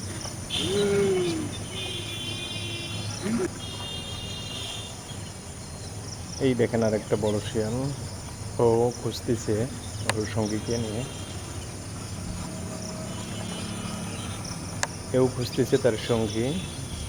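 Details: Jackal calling at night: wavering, harmonic wailing howls in bursts around six to eleven seconds and again near sixteen seconds, each rising and falling, over a steady background of chirping crickets.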